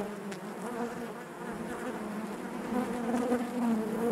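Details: Honey bees humming in their hive, a smooth low-pitched buzz with clear harmonic layers that grows slightly louder toward the end, with faint wavering pitch from individual bees.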